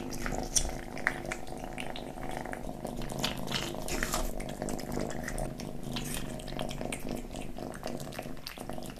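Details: Feeding kitten giving a constant low, rumbling purr across the whole stretch, with soft wet lapping and chewing clicks scattered over it in a small indoor space.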